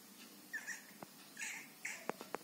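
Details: Squirrel making a few high, thin squeaks followed by sharp clicking taps, sounds described as giggling laughter, heard close against a soft, quiet background.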